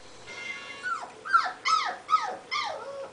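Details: Indoor Shiba Inu whines to be let into the living room with the owners; four or five rising-then-falling high whimpers in quick succession, roughly two per second, over a low hum, with a person softly saying no.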